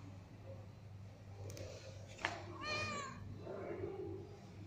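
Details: A cat gives one drawn-out, nasal meow lasting about half a second, with rich stacked overtones. A sharp click comes just before it, and a steady low hum runs underneath in a small indoor room.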